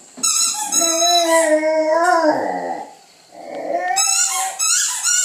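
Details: Tango, a female Catahoula Leopard Dog indoors, sings to ask for her late breakfast: wavering, harmonic-rich howls and whines with yips, a brief pause, then rising yelps resuming.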